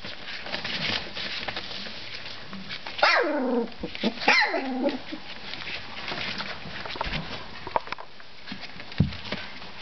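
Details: Three-week-old Collie puppies at play: two high whining yelps slide steeply downward in quick succession, then soft scuffling and small squeaks follow.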